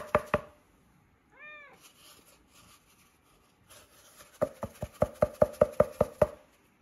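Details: Siberian Forest kitten Michka gives a single brief arching meow in a quiet room. Before and after it come quick trains of sharp, evenly spaced smacking knocks.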